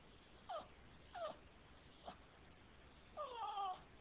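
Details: A Boston Terrier that dislikes being kissed gives short, high, whiny cries: two brief falling whines about half a second apart, a faint click, then a longer wavering, warbling whine near the end, over quiet room hiss.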